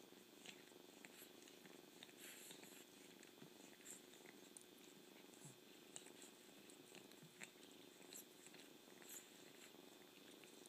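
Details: Steady purring from a kitten, a continuous soft rumbling texture with occasional sharp clicks and licking sounds over it.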